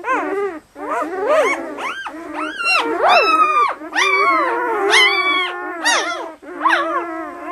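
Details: Two-day-old German Shepherd puppies, red and black, eight in the litter and lively: loud, dense squealing and crying with sharp rising-falling whines stacked over one another, some shrill high peaks.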